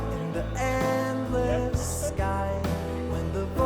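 Guitar-led music with sung vocals plays throughout, with no animal sounds.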